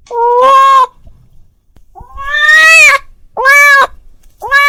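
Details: Domestic cat calling his friend, giving four meows: a flat steady one, a long rising wail, then two shorter, sharper calls, with brief quiet gaps between them.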